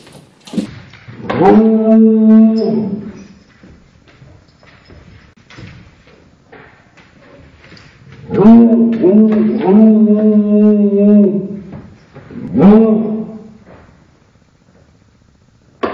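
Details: Basset-Beagle barking, played back at half speed, so each bark becomes a long, low, drawn-out harmonic howl; four slowed barks in two bursts, with quiet gaps between.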